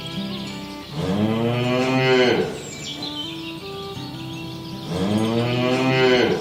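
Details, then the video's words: Cows herded toward their pen through a rice field ditch in the countryside; two long, rich, harmonic moos a few seconds apart, each rising then falling, with soft background music between. "Bunyi sapi"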